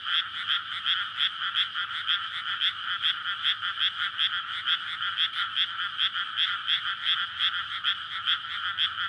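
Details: Frog chorus at night in May from a flooded rice paddy before planting, near residential streets, males calling in courtship; dense overlapping croaks pulse about three times per second, recorded on a SONY PCM-D100.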